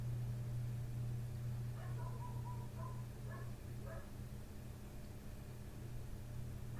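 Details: Nighttime barking from a neighbour's dog just outside a window, persisting for hours after 1:30 am; a rapid run of short, tonal barks, some slightly drawn out, then a couple of sharper yaps, all set against a constant deep mechanical drone.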